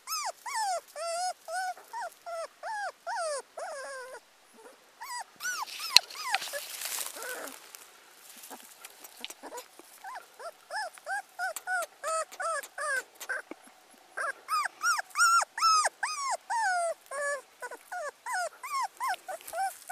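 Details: Abandoned teacup Pomeranian puppy crying in rapid, high, bending whimpers. A burst of broadband rustling noise interrupts partway through, then the shrill whines resume, louder and denser toward the end.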